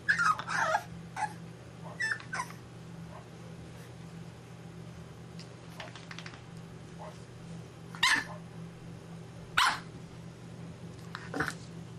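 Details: Six-week-old English bulldog puppy indoors, part of a tri-color litter of three boys, letting out scattered sharp yips and short whines: a cluster at the start, then isolated yelps near eight, nine and eleven seconds, separated by quiet stretches with a steady low hum.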